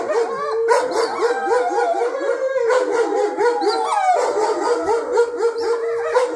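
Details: Several pet wolfdogs, Jake, Honey and Coco, howling together indoors at home, set off when Jake grew jealous and loud during a petting game; overlapping wavering tones with many short rising and falling yips layered through a continuous chorus.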